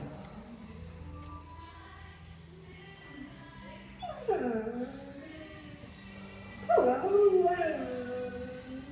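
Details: A greyhound singing along with music: two sliding, wavering howls that rise and fall, the second louder and longer, over steady background music tones.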